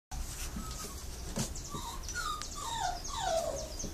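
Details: Litter of Brazilian Terrier (Fox Paulistinha) puppies at a kennel in Joinville, Santa Catarina, Brazil: thin high whimpers sliding downward, several in quick succession, growing louder and longer toward the end, with a few soft knocks and rustles.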